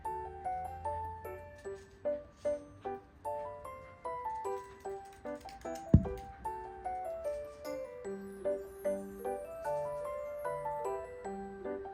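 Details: Plucked, bell-like melodic music with regular repeated notes and a single sharp knock midway; no animal voice.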